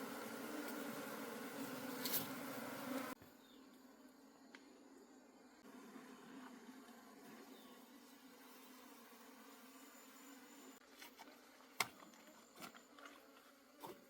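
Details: Wild honey bees, a colony being harvested for honey in the forest. A loud swarm hum for three seconds drops to a softer, distant drone, with occasional sharp clicks and taps.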